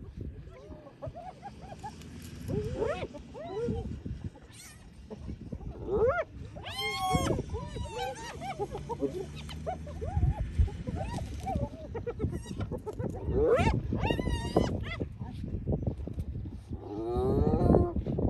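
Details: Hyenas crowding in to take over a lions' meal after the lions have eaten their fill, filmed on an iPhone: a chorus of rising and falling squealing whoops and giggling calls with rough low growling beneath, plus some human talk.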